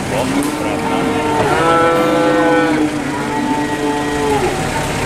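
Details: Cattle at a cattle market in Boyolali: several overlapping drawn-out harmonic moos, some rising then falling, filling the stretch, with steady crowd and market background noise.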